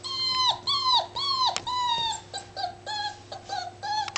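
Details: Playful Labrador Retriever pup aged seven weeks whines in a quick series of high, harmonic-rich whimpers, each dropping in pitch at the end, roughly two per second, with a couple of sharp clicks and a constant low hum.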